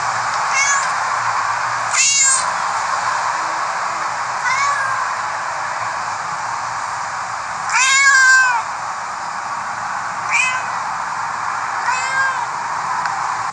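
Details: Cats and kittens meowing: a scattered series of short, thin meows, one louder around the middle, over a steady hissing background.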